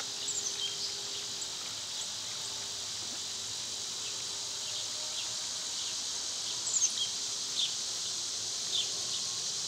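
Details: Summer cicadas, noted as loud at this time of year, make a softer high buzz here, broken by scattered sharp ticks and short chirps from other insects or birds.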